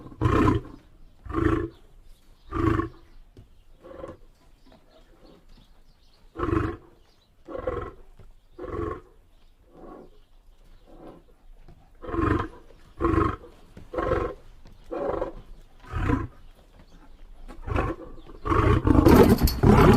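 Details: Rhythmic lion grunting: a long series of short, deep, breathy grunts about every half second, in loose clusters, building into louder, rougher roaring at the end.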